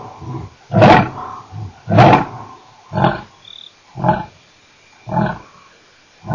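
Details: At Nkorho on 29 September 2008 a male lion ends his roaring with short, hoarse grunts spaced about a second apart, growing fainter and more widely spaced before a last burst.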